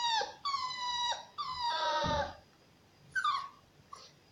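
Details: Shar Pei cross puppy up for adoption giving high, drawn-out whining cries rich in harmonics: three long whines in quick succession, then a pause and two short, falling squeaks.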